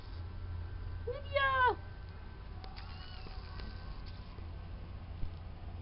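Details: Farm kittens a few weeks old, from Spanky's litter of four at the fluffball stage; one short, high, rising-then-falling meow lasting about half a second, over a steady low hum with a person's voice nearby.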